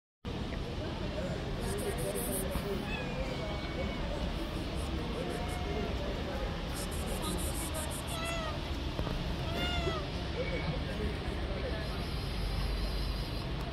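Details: Fluffy stray tabby kitten living on the street gives several short, high meows, each a brief rising-then-falling cry, scattered over steady background hum with some human speech.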